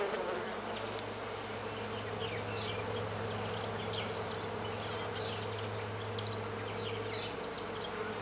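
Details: On an early warm day, 10 March 2017 at 18°C, in countryside in central France (Nouvelle-Aquitaine), horned mason bees (Osmia cornuta) give a steady, low unbroken droning buzz, with faint high bird chirps behind.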